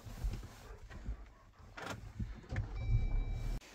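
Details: Low car rumble with soft thumps and shuffles, then a short electronic chime tone near the end, with no animal sound.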